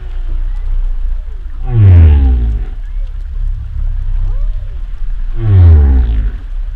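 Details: Deep humpback whale moans recorded underwater: two loud falling groans with layered harmonics about four seconds apart, softer arching whoops and squeaks in between, over a low constant rumble.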